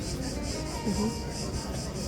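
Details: Cicadas near the Acropolis in Athens, singing constantly over the city traffic: a steady high hiss that pulses about four times a second, above a low rumble of traffic and a faint tonal hum.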